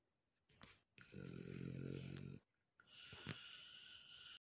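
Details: A relaxed female French bulldog snores loudly, with a rumbling, rattling inhale and a wheezy, hissing exhale.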